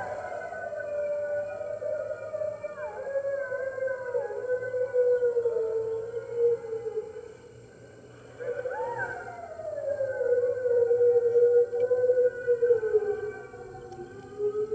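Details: Chorus of red wolves and other wolves at the NY Wolf Conservation Center, early morning, March 15, 2013, captured by an enclosure webcam. Several overlapping howls swoop and waver at different pitches, briefly fade, then surge back with a rising, sliding voice.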